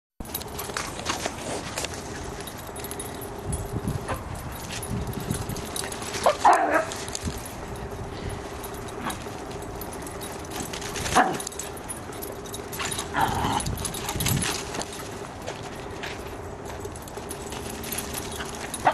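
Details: Dachshund named Jansky visiting her sister Tesla on 12 December 2022; a few short sharp barks or yips break out near 6, 11 and 13 seconds over a steady low humming tone and indoor background noise.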